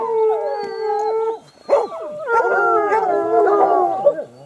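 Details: Hounds howling: long, drawn-out tonal howls that hold steady and then bend downward, followed after a short break by several overlapping wavering howls from more than one dog.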